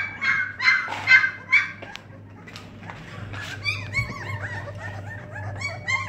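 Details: Dogue de Bordeaux puppies: a few louder whiny yelps at the start, then a quieter stretch of rapid, rising-falling squeaky whimpers, with a faint mains hum throughout.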